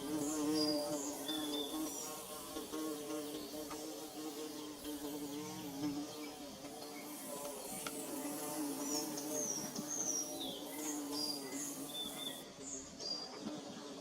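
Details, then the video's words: Nest-building bees give a continuous, rich wing drone, humming in stacked tones that waver slightly in pitch, with scattered high chirps and whistles from birds throughout and a brief drop in the high background near the end. "Bee Buzzing"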